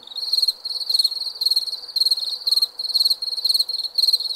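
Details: Crickets at night producing high, trilled chirps in evenly spaced bursts about twice a second, layered with softer distant callers.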